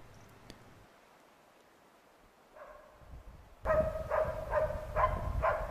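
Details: Norrbottenspets (Pohjanpystykorva) on a hunt in Finland: near silence, a brief faint tone, then a sudden burst of rapid ringing barks, about five, over loud rumbling noise.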